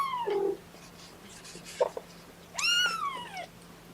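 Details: Young kittens of Mama Seraphina's litter of four, objecting indoors to being pottied before their weigh-in on 2018-10-01: a short falling mew, then a long high meow that rises and slowly slides down, with faint rustling between.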